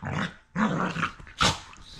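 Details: Two rough-playing rescue dogs snarl and growl in three loud, raspy bursts separated by brief pauses. A sharp, noisy snap comes near the end.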